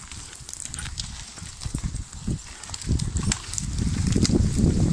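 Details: Tempête, a draft mare hauling logs in Brittany, working alone and guided by voice: heavy, irregular low thuds of hooves and dragging rumbles, building louder toward the end, with light rustling above.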